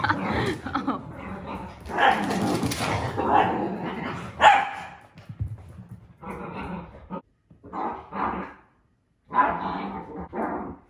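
Dachshunds bark in sharp, mid-pitched bursts, some close together, others after short pauses, over a wash of rain.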